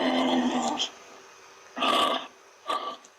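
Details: Kangaroo making a rough, throaty rasp that fades out. Two separate husky, hoarse bursts follow after a pause, short and breathy, with quiet between them.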